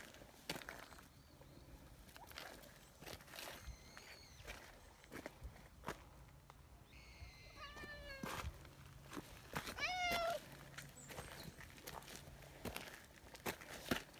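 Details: Nyahha, a brown tabby community cat, hurrying over after being left a short distance behind. Several meows fall in pitch, scattered among footsteps and clicking sounds; the clearest meow comes near the end.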